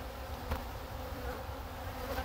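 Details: Honey bees in a North Wales apiary repair and recycle a beeswax frame. A steady, low, droning hum continues throughout with small swells, and nothing else stands out.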